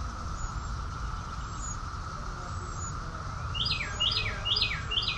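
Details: Cicadas droning together in a Maryland summer, Rockville, June 2021, a steady hum beneath. Toward the end a nearby bird gets louder with a string of sharp, descending whistled notes, and thin high calls appear early on.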